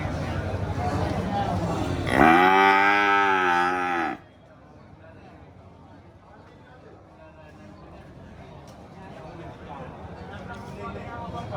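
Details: Cattle sound with a noisy low start, then a clear two-second harmonic moo with a wavy pitch, followed by near silence.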